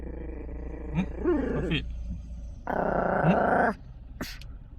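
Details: Chihuahua guarding a car, growling possessively: a rough, raspy growl rising briefly near the start, then a longer, louder, noisy rumble lasting about a second, followed by quieter background and a sharp click.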